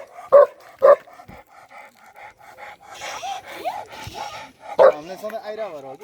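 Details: Mountain livestock guardian dog from Nepal, kept by nomadic shepherds: two sharp barks, a stretch of quieter murmuring tones, then one more bark followed by a wavering whine.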